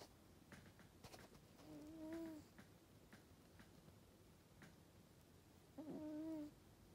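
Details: Sleeping Norwegian Forest Cat snoring: two soft, whistle-like nasal tones about four seconds apart, each drawn out with a slight fall in pitch, among faint clicks and quiet room noise.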